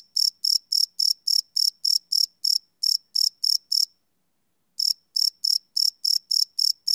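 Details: Night cricket chirps from a live Sony PCM D100 field recording, no loops; a run of quick shrill pulses stops for nearly a second of silence, then resumes at the same pace.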